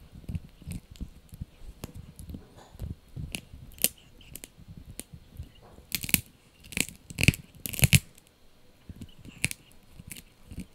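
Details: Male Yorkie puppy named Blue chewing a dried bunny ear, giving a long run of crackly bites that grows into a cluster of loud tearing crunches midway, then eases back to lighter chewing.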